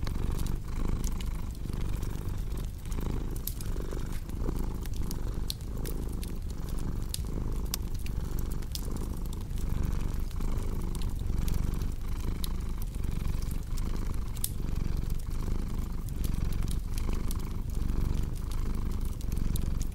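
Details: Long stretch of a cat's rumbling purr, evenly rhythmic as the breathing rises and falls, layered with steady crackling and popping from a cozy fireplace.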